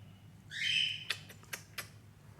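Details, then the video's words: Persian doll face kitten in Gujranwala gives one thin, high mew that rises and holds briefly, followed by several sharp clicks and taps over a steady low hum. "Persian doll face kitten"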